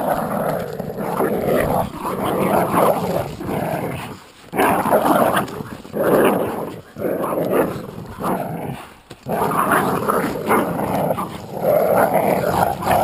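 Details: Jack Russell Terrier and American Staffordshire pit bull terrier playing tug of war. Long, rough, rumbling growls come in sustained bursts with brief pauses, rising and falling in intensity as the pull goes on.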